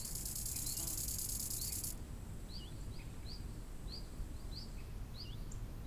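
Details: Summer lakeside crickets give a high, shimmering chirping burst for about two seconds, then fall silent while a bird repeats short, rising and falling whistled notes against a soft background hiss of wind.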